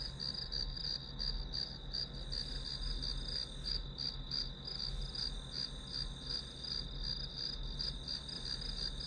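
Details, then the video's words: High, pulsing chirps of grass insects, roughly three per second, ride over an unbroken thin ringing tone in this study-session white noise; a low droning hum runs throughout. "풀벌레 소리"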